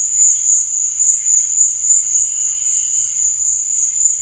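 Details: Short burst of night crickets: one bright, continuous high trill, slightly pulsing in loudness, over faint lower chirps.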